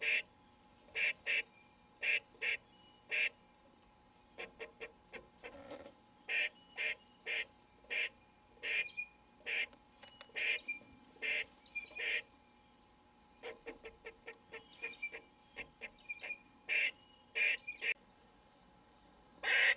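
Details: Gray squirrel named White Patch at a window feeder, upset that the feeder has run out of food. Short, harsh, barking calls come in quick bursts, several in a row with brief pauses between, repeated steadily throughout.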